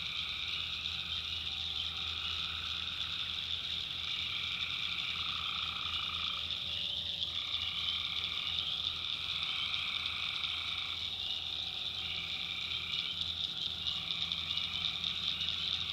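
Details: Tree frogs at night in a North Carolina swamp forming a constant high chorus, with overlapping mid-pitched trills starting and stopping every few seconds and a low rumbling drone underneath.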